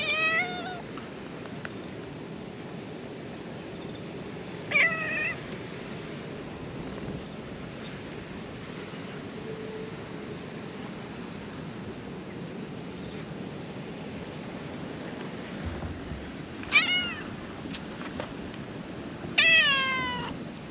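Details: Stray cat at a ferry terminal while ferries are cancelled, coming up to be petted; four harmonic meows spaced across the stretch, near the start, about five, seventeen and nineteen seconds, over steady broadband wind and surf noise.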